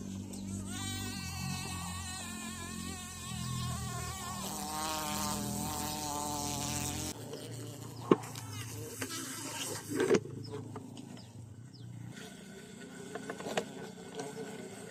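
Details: Bee caught in the bush during a bee hunt, one of two bee types captured; a loud, wavering buzzy drone fills the first seven seconds, then fades behind handling clicks and rustling.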